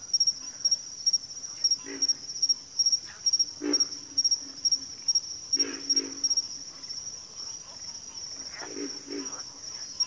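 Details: Several frogs in a backwater chorus give deep, rough croaks in clusters of two or three, with gaps between, while a high rhythmic insect buzz pulses steadily behind them.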